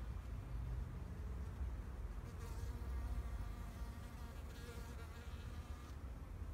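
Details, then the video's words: Several bees hum among spring flowers in a Japanese garden in 2021, a continuous buzz with stacked overtones that brightens in short bursts as insects come nearer, set against a persistent low rumble. "Sound of Bees in flower garden"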